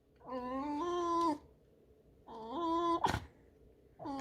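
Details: Female pet fox indoors, turned away and guarding her spot, utters two long, even, creaky whines about two seconds apart and the start of a third, with one sharp click between them.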